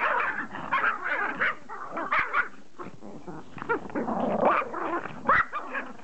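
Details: A Pomeranian begging to play fetch gives a tangle of high, rising whines and short throaty growl-like yips in uneven bursts, with a person's voice and laughter close by.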